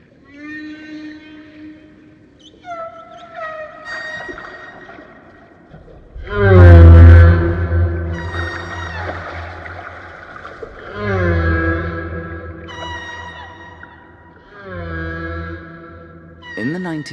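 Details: Humpback whale (Megaptera novaeangliae) song: long, moaning tonal units with rich harmonics, sliding and swooping one into the next in a continuous stream.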